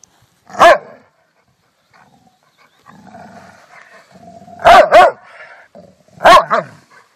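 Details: Rottweiler barking: a single sharp bark, then after a pause a double bark followed by another bark, with low growling rumbles between them.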